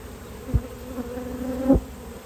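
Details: Honey bees during a yellow hive inspection, 19 March 2022: a steady low hum holds one even pitch with a fainter overtone above, bracketed by two short thumps.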